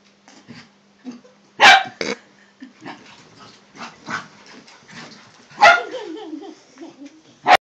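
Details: Toy poodle and miniature poodle puppy playing together for the first time; short sharp yips and barks burst out at irregular intervals, with softer growly play noises and low human murmuring between them.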